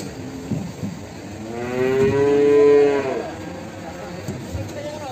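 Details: Limousin calf from Ambarketawang, Sleman, heard in the morning: a single drawn-out moo of about a second, swelling then fading, with rich layered tones. Faint background noise before and after.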